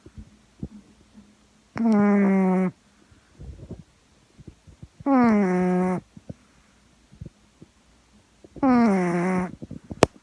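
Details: Gaeborin, a female Boston Terrier born in 2016, snores while asleep in a small room. Three strong, droning snores come roughly every three and a half seconds, each sliding slightly downward, with soft breathy clicks in the pauses.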